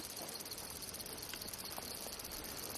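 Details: Insects at a green natural spring amid vegetation in the middle of Ramon Crater, Negev desert, Israel: a dense, high-pitched, continuous shimmering chorus with rapid fine pulsing, over a faint low background rumble.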